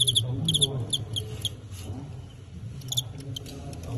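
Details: Fighting crickets in a bout billed as Tengxian against Qingyuan, China, the Tengxian cricket winning by knockout; bright chirp bursts of a few quick pulses come in clusters at the start, near one second and near three seconds, over low murmuring voices and room hum.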